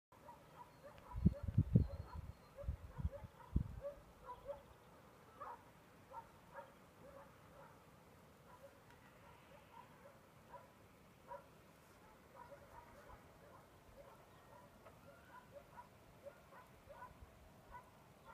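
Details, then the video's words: Dogs barking outdoors while it snows, a burst of short deep barks early on, then fainter distant barking repeating about every second or two across the rest of the clip. "Hundarna skäller. Nu snöar det. Igen !!"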